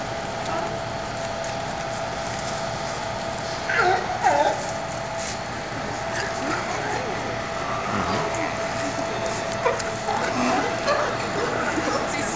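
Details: California sea lions of the colony resident since 1990 at Pier 39, San Francisco, give hoarse, honking barks in short bursts over a steady hum of crowd chatter.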